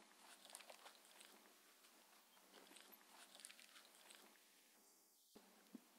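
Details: Mindy, a six-year-old female Shetland Sheepdog, eats her raw-food dinner of chicken and beef indoors. Soft, irregular wet chewing, crunches and sharp clicks come about every few seconds over a quiet room hiss, with one brief mechanical whir near the end.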